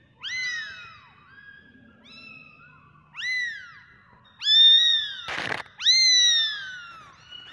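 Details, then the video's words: Kitten mews ring out high and arched, starting quietly and growing louder. Two or more voices call in short bursts, broken by a brief rustling thump. "Cats Babies Cute Meowing"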